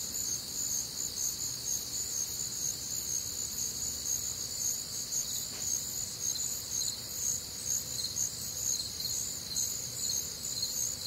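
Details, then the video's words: Night chorus of crickets recorded on a warm, humid summer night in the Midwest: several high-pitched trilling layers run unbroken, with a soft regular pulse roughly twice a second and a brief faint tick midway. "Night Time Cricket Sounds"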